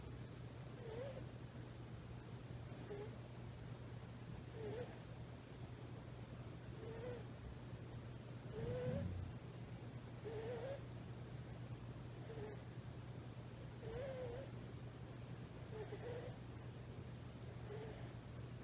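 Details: About three-month-old rescued female kitten snoring in deep sleep against a thigh; a long run of faint, squeaky, slightly warbling whistles comes with each breath roughly every two seconds, one brief soft bump, steady low hum throughout.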